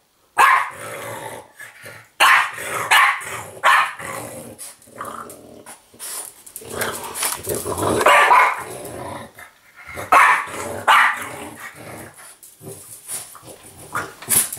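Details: Apple the French Bulldog growls and grumbles while play fighting a talking Yoda toy, with rough, rumbling snarls broken by snorts and occasional short barks, in uneven bursts that swell and fade.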